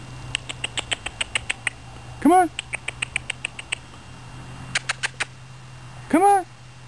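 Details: Miniature Schnauzer puppies recorded in September 2007, giving two rising-falling whines among rapid series of short high squeaks and clicks, with a steady low hum beneath.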